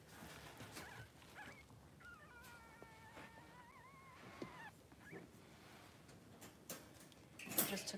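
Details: Newborn Blenheim Cavalier King Charles Spaniel, three days old, in Pom-Pom's puppy pen with its brother. Thin, steady whimpers with a slight wobble last about two seconds mid-clip, with quiet talking and handling noises around them.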